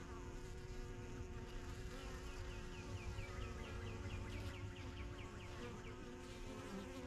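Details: Busy backyard beehive from a first beekeeping season begun in spring 2023: dense, low honey bee drone with passing wingbeat buzzes, while a small bird repeats quick chirping notes through the middle.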